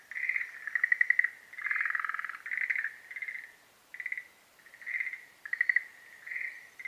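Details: Schlegel's green tree frog in breeding season giving short rattling trills in separate bursts about half a second to a second long, repeated roughly every second, some of them overlapping.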